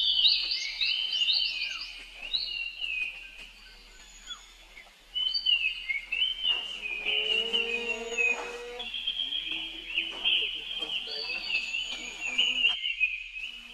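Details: Rainbow's little brother, a young monkey, calls out for help as she dashes away. Piercing, quavering screams come in a long, unbroken stream, with lower murmuring sounds and soft background noise in the middle.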